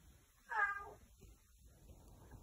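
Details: A 5-year-old male Maine Coon cat, talkative and following his owner around the home, gives one short, rich meow that rises slightly and then falls away.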